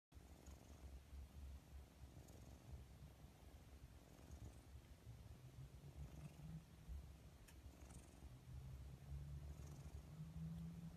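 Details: Domestic cat purring: a steady low rumbling drone that pulses rapidly and continuously throughout, with faint background hiss.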